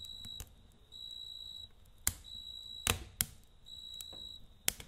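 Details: Nighttime cricket chorus by a campfire, pure high trills lasting about half a second to a second, separated by short gaps, while loud wood snaps and crackles break in now and then.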